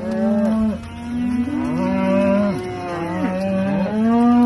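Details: Aberdeen Angus cattle on a farm: several low, drawn-out moos overlap throughout, some held steady and others bending downward at the end, giving a continuous chorus of lowing from more than one animal.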